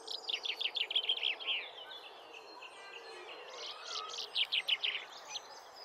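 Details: Four captive cheetah cubs, two female and two male, born October 2023 to mother Jetts, playing in the main cheetah paddock at Hamerton Zoo, September 2024: two bursts of rapid, high, sharp chirps, about eight notes each, split by a quieter pause.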